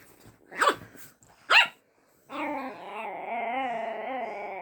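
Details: Luna, a pet dog, yaps twice at another dog, Daisy, for the first time; two quick, high barks followed by a long steady humming tone in the background.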